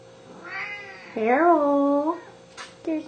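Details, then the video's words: Hungry pet Siamese cats, seal point Pharaoh and blue-lilac point Athena, at home: a long, wavering, yowling meow that rises and dips for about a second, then a short clipped meow, with a brief rustle between. "HuNgRy SiAmEsE"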